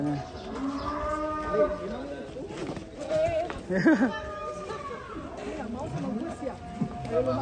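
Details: Belgian Blue cattle at an extreme-class cattle contest at Bintang Tani Farm, Indonesia; deep, drawn-out harmonic moos rise and fall across several seconds, mixed with steady crowd chatter and voices nearby.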